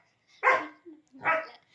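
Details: Labrador Retriever playing with its owner gives two loud, sharp barks about 0.8 seconds apart, the first stronger, with a brief soft whine between them in a quiet room.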